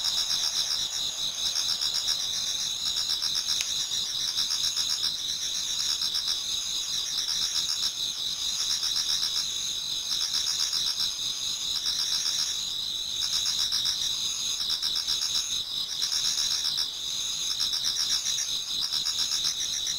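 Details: Towards dawn in autumn, a crowd of insects sings in a Japanese garden, forming a constant high-pitched wall of trills with rhythmic pulsing about every quarter second and a faint swelling and fading pattern.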